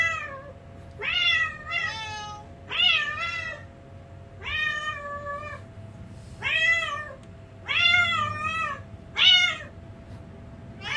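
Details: Two house cats react to recordings of their own meows, searching for the sound and calling anxiously indoors; about nine loud harmonic meows in eleven seconds, each rising then falling, some in quick pairs, over a steady low hum.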